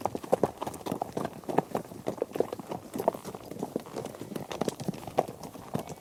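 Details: Horses travelling together over varied terrain including gravel and dirt; clear clip-clop hoof strikes come in quick, uneven groups, fairly close, some knocks sharper and louder than others.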